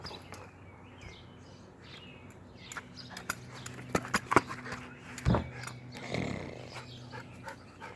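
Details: Pet dog playing with a ball indoors: soft low grumbling tones and snuffling with scattered clicks and thuds of movement, a brief louder huff around the middle, irregular and broken rather than steady barking.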